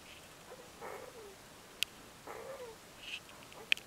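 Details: Labrador Retriever puppies, four to five days old, sleeping; two soft, wavering whimpers with a falling tail, about a second and a half apart, plus a few faint squeaks and sharp clicks in a quiet room.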